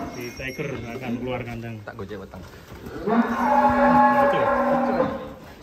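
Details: Farm cattle, among three animals called unique and funny, with short low grunting sounds early on, then a loud, sustained, even moo held for about two seconds before fading; music plays in the background.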